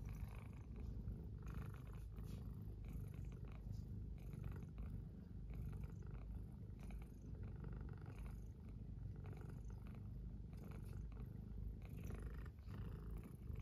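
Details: Pet cat purring in an even, unbroken low rumble for the whole stretch, snuggled with another cat next to an oil heater during a cold-wave morning; small rustles and faint clicks sit on top.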